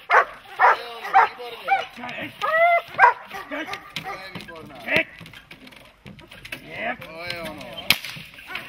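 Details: Dog during protection training giving a rapid series of harsh, arching barks in the first three seconds, then scattered yelps and sharp noises amid human voices and handling sounds.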